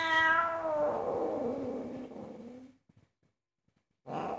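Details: Very angry domestic cat protesting indoors while its owner cooks: a loud harmonic yowl that starts high and slides down into a long rough, growling moan for nearly three seconds, then silence and a short final growl.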